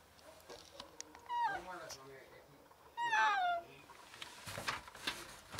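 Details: A sick female cat trapped in a closed alley on a ground floor, calling desperately for help; two drawn-out harmonic meows, the second louder and falling in pitch, with faint background noise and rustling.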